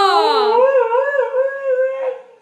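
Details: Domestic dog singing along after a Sunday in the yard and a visit from Granny: a wavering, undulating howl that starts high, drops, then holds a steady pitch, with a woman repeatedly asking where Granny and Papa are.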